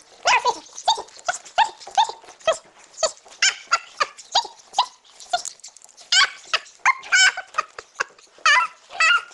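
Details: Female pug puppy attacking and biting her owner. Short, sharp, high growly yelps repeat roughly twice a second, then turn into longer squealing, warbling growls near the end.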